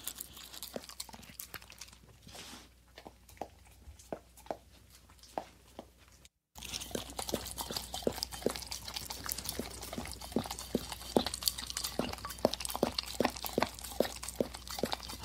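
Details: Dog licking a plate, softer lapping at first, then after a brief cut louder, denser wet smacks and clicks, roughly two or three per second, in a small indoor room.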